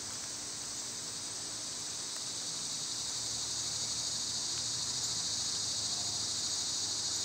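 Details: Loud summer insect drone from cicadas, an even, high, hissing buzz sustained without pause, swelling slightly toward the end.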